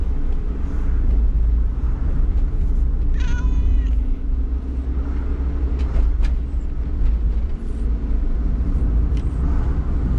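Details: Community cat with cat flu rhinitis, caged for the first time and travelling by car to a vet: a single short harmonic meow amid heavy low engine rumble of the moving car.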